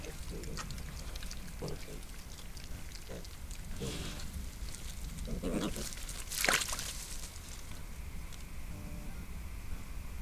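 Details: Wild boar sow with her piglets, caught by a trail camera in a Sologne forest in France, gives soft, low grunts every second or two against a steady background hiss.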